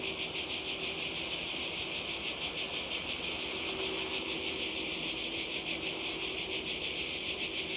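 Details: Summer cicada chorus on the Croatian coast in 2020, an unbroken shrill hiss-like buzz pulsing rapidly and evenly, with no other clear sounds.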